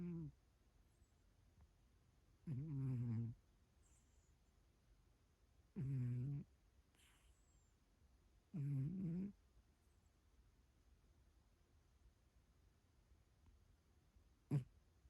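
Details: Cat snoring while asleep: three short, low, buzzy snores spaced about three seconds apart, then a long quiet stretch ending in a single sharp click.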